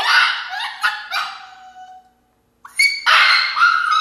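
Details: Senna, an Alaskan Klee Kai puppy, throwing a fit in her crate: loud, harmonic, shrill yowling screams that fade into a long thin whine, a brief silence, then renewed high-pitched, strained screaming.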